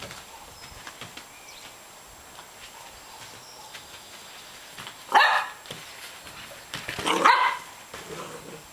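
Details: Holly, a Welsh Springer Spaniel, during big-ball football training outdoors after rain: two loud harsh barks around five and seven seconds, otherwise quiet with faint background hiss.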